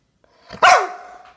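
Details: A Rottweiler gives a single deep, throaty bark that slides downward in pitch at the end while getting a toy.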